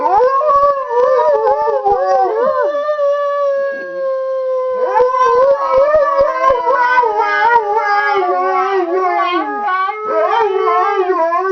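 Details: Chorus of big dogs howling as a 12-week-old Alaskan Husky pup sits out, recorded 19 February 2011; multiple long, overlapping howls that rise, hold and waver, with a brief dip near the middle before more voices join.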